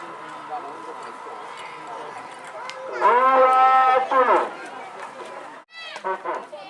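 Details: Cattle at the final of a karapan sapi bull race, a Madurese tradition, held at Lapangan Asemanis, Pamekasan, East Java, Indonesia. A loud, drawn-out harmonic bellow lasts about a second over crowd chatter and a public-address voice.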